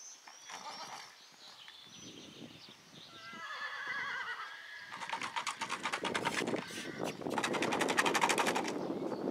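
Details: Yearling Akhal-Teke colt whinnying: a wavering, harmonic neigh that rises then trembles downward around the middle, followed by loud, rapid, irregular broadband thumping and rustling for the last few seconds.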